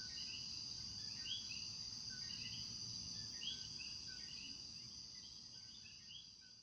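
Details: A night chorus of coquis in Puerto Rico calling their two-note "co-qui" at nightfall over a steady, high insect drone.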